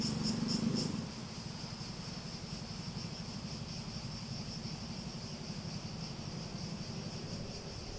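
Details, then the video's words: Cicada song for relaxation: fast, regular high pulses continue throughout, after a brief louder low burst in the first second; a soft low rumble runs beneath. "Relaxing Sounds With Cicadas"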